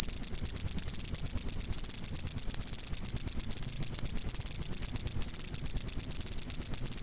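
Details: Cricket chirping, recorded as a master track for training cage birds: a dense, high, ringing trill of rapid pulses, nearly continuous for seven seconds with only brief dips, loud and clean with no other sounds.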